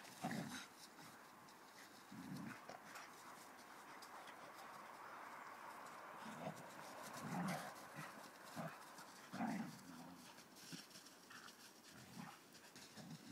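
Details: Siberian husky and Samoyed dogs, compared in speed; repeated short low groans and whines in bursts every second or two over a steady background hiss.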